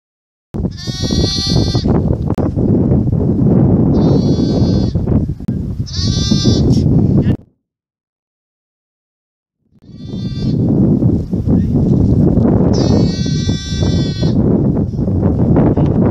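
A lamb bleats in short, wavering, nasal baas, several in a row, with a brief pause midway.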